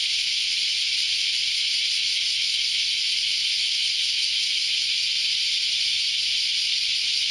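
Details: Early on a Saturday morning, a chorus of cicadas fills the air with a continuous high, sizzling drone, blending into one even wall of buzzing with no pauses or clear individual calls.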